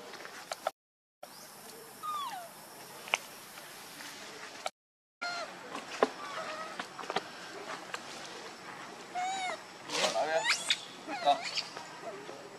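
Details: Hungry baby monkey Rainbow, angry and wanting milk from its mother, gives thin rising-falling whimpers early, then a dense run of shrill arched cries and squeaks in the latter half over background rustle.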